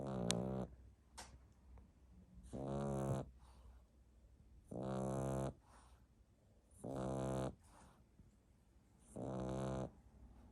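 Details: Sleeping French Bulldog puppy snoring lightly on 1 May 2021: five rasping, harmonic snores, each about half a second long, repeating roughly every two seconds, with quiet breaths in between.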